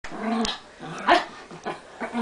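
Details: Brussels Griffon dog indoors on a bed, sharing the scene with an American Crested dog, giving short low growling barks with a sharper yelp in the middle, followed by a person exclaiming.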